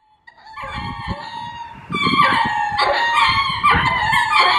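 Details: Ring-tailed lemur courtship calling at Hitachi Kamine Zoo, Japan: harmonic, wavering cries that start thinly, then swell into louder overlapping wails from about two seconds on, with low thumping below.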